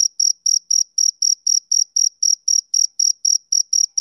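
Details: A summer-evening male cricket keeps up an even train of shrill, buzzy chirps, roughly four each second, sharp-edged and evenly spaced against complete silence.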